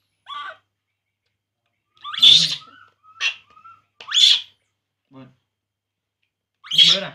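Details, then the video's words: Sparse cries from a baby monkey drinking milk: a few separate harsh, high-pitched screeches several seconds apart, with brief faint murmurs and a thin whistle-like tone between them. "baby monkey Poo, Poo crying drinking milk"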